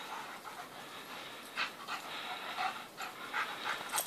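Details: White dog panting rapidly during morning play with another dog; soft, irregular breathy puffs over scuffling movement sounds.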